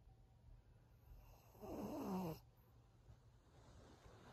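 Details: Snore from Maria, an elderly thirteen-year-old fawn pug bitch in Japan, a short rattling inhale under a second long with a falling whistly tone, followed by soft hum and faint breathing.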